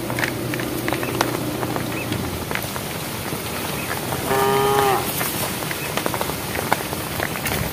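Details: Domestic cows in a herd walking on a project road, calling to the herd; one short, harmonic, moo-like call sounds midway through a steady background hiss with scattered clicks.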